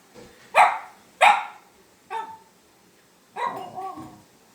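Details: Female Shiba Inu at home, confronting a paper bag that crinkles and barking at it: four short, sharp barks spread over about four seconds, the last one doubled, with faint room noise between them.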